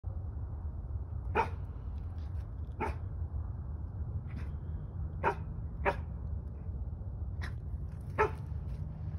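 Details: A female Chow Chow–Siberian Husky mix, on a morning field walk on 21 December 2022, gives short, sharp single barks at uneven intervals at a sounder of feral pigs sleeping in brush, over low rumbling noise.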